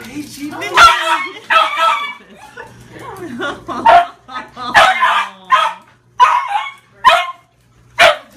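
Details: A Shiba Inu, held 22 days at a shelter after being found as a stray, gives excited, high-pitched yips and whines on being reunited with its owner, with people talking.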